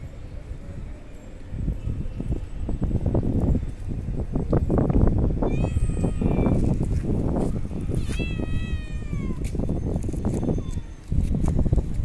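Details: Kitten meowing; several drawn-out, slightly falling meows around the middle, one longer wavering call near eight seconds, over heavy low rumbling noise and a person's voice.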